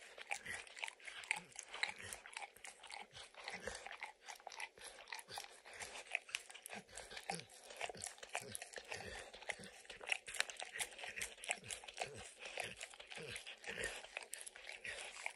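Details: Indoors, a dog licks peanut butter and crunches kibble lodged in an orange mat; rapid continuous lapping and chewing clicks, louder crunches every second or so, no voices.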